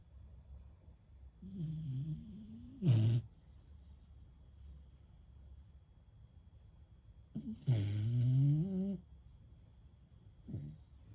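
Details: Beagle フク子 sound asleep after much walking and playing; two loud rattling snores about five seconds apart, each a rough low rasp with a sliding buzz, plus a softer third near the end.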